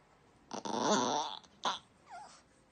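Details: Miniature Yorkshire Terrier indoors, making an odd noise when stroking stops: a drawn-out, rough, breathy growling sound lasting nearly a second, then a short burst and a faint, wavering high whine.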